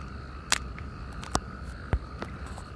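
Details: Natterjack toads chorusing in irrigation canals opposite Perales del Río, Parque Lineal del Manzanares: a steady, continuous mid-pitched trill held through the whole stretch, broken by a few sharp clicks and knocks.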